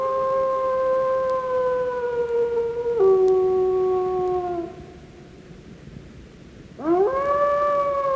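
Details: A wolf gives a long, steady howl that slowly sinks in pitch, drops a step, and fades out. After a brief quiet gap, a new howl sweeps sharply upward and levels off into a sustained tone.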